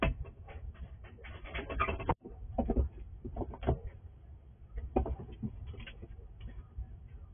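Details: A wild squirrel visiting a house at night, in the dark, crunches and gnaws at food in quick, irregular bursts of dry clicking and crackling.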